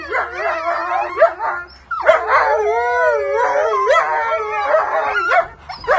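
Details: Chorus of wolfdogs joined by a wolf, loud wavering howls rising and dipping, some yipping breaks among the voices, a brief lull before the group swells again.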